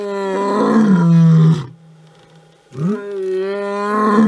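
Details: A big male lion (Panthera leo) gives deep, drawn-out roars, each a powerful harmonic moan that swells and fades.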